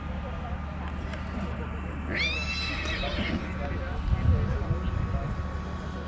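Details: Black Forest draft horse filly, born February 2021, at a cold-blood foal show in St. Märgen, Germany, on 12 August 2021; one brief high whinny with a quick rising-then-falling sweep, over murmuring voices and a steady low hum.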